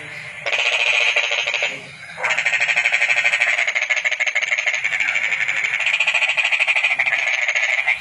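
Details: Rapid rattling trill from a toad: a one-second burst, a short pause, then a sustained pulsed trill running about six seconds without stopping.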